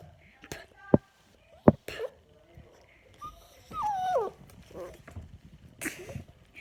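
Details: Yorkshire Terrier annoyed by air blown at his face: sharp clicks and snorts, then one wavering, squealing whine that slides downward, followed by softer huffs and rustling.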